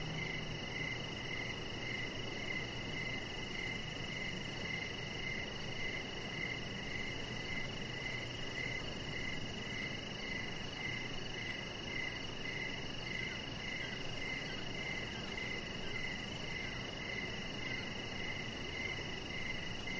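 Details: Crickets chirp through an evening on a deck, a chihuahua puppy lying close by: rhythmic chirps recur roughly every half second against a steady wash of noise and a very high, fast ticking trill.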